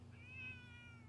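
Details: A friendly neighborhood domestic cat, rubbing against a person's leg, meows in reply to being called: one short, soft, tonal meow that rises then slowly falls, in a quiet setting.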